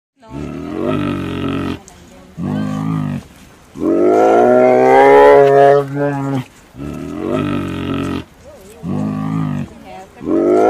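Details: A sloth bear at Nehru Zoo, Hyderabad, gives loud, droning groans and moaning roars in repeated bursts.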